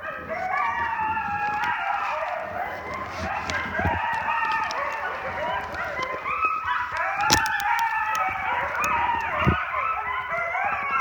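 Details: Several coyotes surrounding a camp in a dense chorus of overlapping howls and yips, wavering high tones rising and falling continuously and crowding over one another throughout, with a few sharp clicks and knocks in the background.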